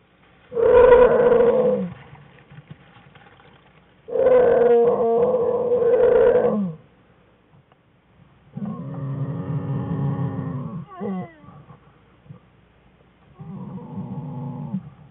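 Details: Wild American black bear cubs playing with their mother in a winter den on February 21, 2013; loud harmonic wailing cries in bursts of about two seconds, then lower, softer moaning calls, with quiet gaps between.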